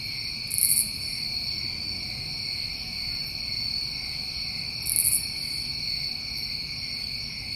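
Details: Crickets of a New England summer trill continuously in a bright, ringing chorus, with two loud, very high rasping bursts about four seconds apart standing out over the steady hum.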